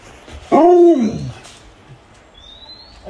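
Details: Luoluo, a pet Alaskan Malamute, gives a brief half-second howl during a hide-and-seek game with its owner. The howl rises, then quickly falls away, followed by quiet room noise.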